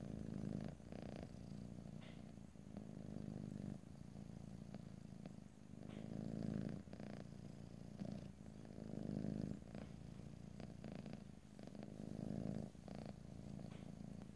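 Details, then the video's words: Purring house cat, close-miked stereo ASMR without speech; the low buzzing purr rises and falls in rhythmic swells, louder phases lasting about two seconds, matching slow inhale and exhale cycles. "ASMR Cat: Purring"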